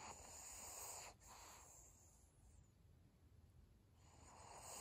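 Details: Senior pug Maria asleep, with short, rough breath sounds: a brief wheezy exhale, a softer second one, a long quiet stretch, then the next breath starting.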